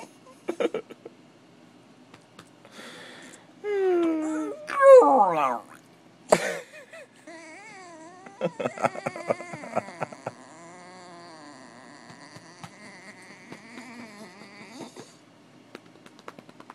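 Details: Spike, a pet puppy dog, goes wild indoors: whimpering, rising and falling howls with wavering pitch between four and six seconds, then yelps and short broken whines, with a sharp thump and some background noise.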